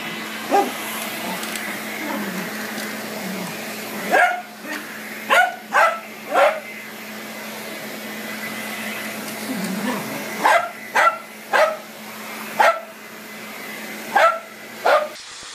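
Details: Dog barking at a vacuum cleaner: quiet stretch with faint sounds, then clusters of sharp barks in short groups of two or three over a steady background hum.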